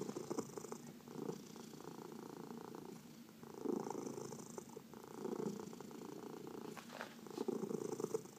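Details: Domestic cat under massage, one of four pets, purring steadily; deep vibrating purr swelling in breath cycles every couple of seconds, a few faint taps and rustles from touch in a quiet room.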